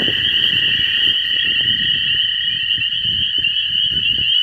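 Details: On a rainy spring night in a flooded field in the Ohio River Valley, a loud chorus of toads, likely American toads calling for mates, gives long, steady, high-pitched trills blending into one continuous buzz.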